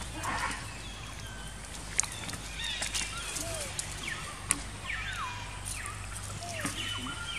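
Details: Baby monkey Jinx crying after being attacked by another monkey, Spring: repeated thin, high whimpering cries with sliding, falling pitch, several in quick succession, over a steady low rumble with scattered clicks and knocks.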